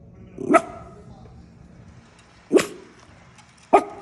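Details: Sharp, clipped barks from Paisley, a female mini schnauzer protecting her turf, three in four seconds with the gap shortening toward the end.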